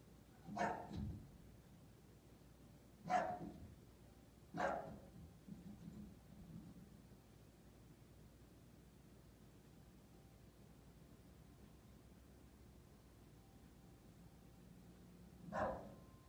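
An English Bulldog gives a few deep, gruff single barks, spaced apart by pauses of several seconds.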